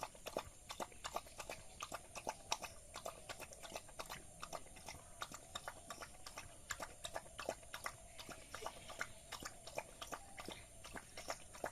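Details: Village dog chewing rice, steady moist clicks and smacks about three each second, irregular in timing, against a quiet constant background hiss.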